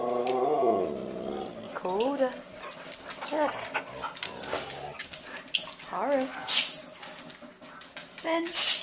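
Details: Five Siberian Huskies playing and talking together: a drawn-out harmonic howl with a wavering pitch opens, followed by several short rising-and-falling yowling vocalizations, with a person speaking between them.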